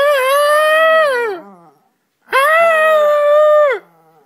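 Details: Charlie the dog imitating its owner with two sustained, tuneful howls, each about one and a half seconds, steady then sliding down at the end, separated by a brief silence.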